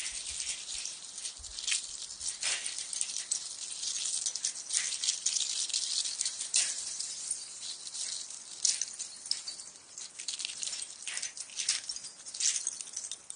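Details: Eastern Diamondback Rattlesnake rattling while its venom is being extracted: a continuous, dry, high-pitched buzzing hiss that swells and fades in loudness throughout, with no other clear sounds.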